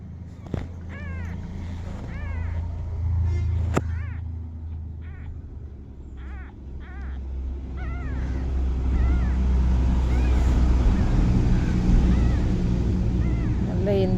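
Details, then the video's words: A small kitten attempting to walk meows again and again, short bent cries coming in quick bursts, some doubled, above a constant low engine-like hum. "கொஞ்சம் பூனைக்குட்டி முயற்சி பண்ணுது நடக்குறதுக்கு"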